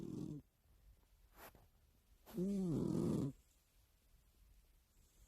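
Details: Sleeping house cat snoring loudly, a sound heard every night beside its owner's ear: one drawn-out, rough, harmonic snore lasting about a second, preceded by a brief low breath and followed by quiet room hush.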